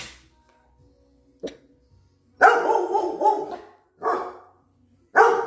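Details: Countryside dogs on high alert. After a faint click, a long wavering bark-howl is followed by two shorter barks, each with a rich harmonic tone and separated by brief silences.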